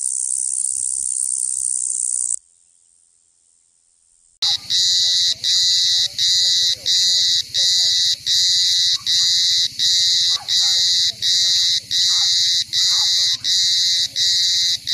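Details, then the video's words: Cicada song: a continuous high, shrill buzz, then about two seconds of near silence, then a loud pulsing drone of regular harsh bursts repeated roughly eighty times a minute. "som de cigarra"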